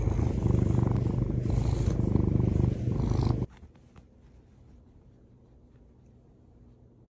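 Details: Pet cat waking its owner in the morning, purring loudly and closely: a low, rapid, throbbing rumble for about three and a half seconds that then stops abruptly, leaving a quiet room.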